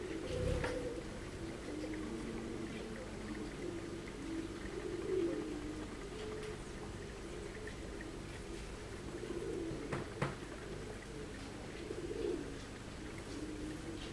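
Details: Honey bee colony heard from inside the hive, with queen, workers and drones present, UK: a steady, dense, wavering low hum from many bees, swelling slightly now and then, with a thump near the start and a sharp click around ten seconds.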